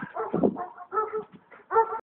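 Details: Greyhound playing outdoors in the snow gives short voiced barks and whimpering yips in about four bursts, each with a harmonic, slightly wavering tone.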